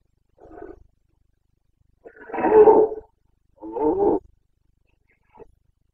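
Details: A Carpathian stag bellows in the Bucovina forests during the autumn 2022 breeding season: a quiet grunt, then two deep, drawn-out rasping roars, then a faint final grunt.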